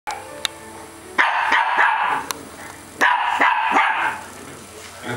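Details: A female Yorkshire Terrier and toy terrier mix gives two quick bursts of sharp, high-pitched barks at a baby cart.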